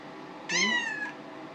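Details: Female house cat meowing to be given water from the sink, though her bowl is full, indoors: one clear, loud, harmonic meow about six-tenths of a second long, steady then slightly falling, followed by a person asking whether she needs the water.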